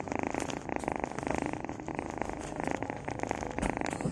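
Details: Loud, close-up purr of a house cat: dense, rattling low pulses in a continuous rumble, rising and falling in strength with each breath in and out.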